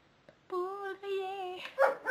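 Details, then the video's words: Calvin, a pet dog, in a playful morning exchange with his owner: a sustained tonal howl-like whine held steady for about a second, briefly broken, then resumed, ending in a couple of short noisy yelps. "Conversation d'un chien à son maitre."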